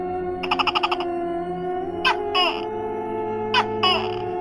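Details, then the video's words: Tokay gecko of Indonesia, a hidden-living reptile whose call often comes suddenly at quiet times or in the middle of the night; a quick rattling series of clicks gives way to two paired, sharp barking "to-kek" notes, over sustained background music. "Tokek adalah reptil yang hidup tersembunyi, namun suaranya tak asing bagi masyarakat Indonesia. Suara tokek."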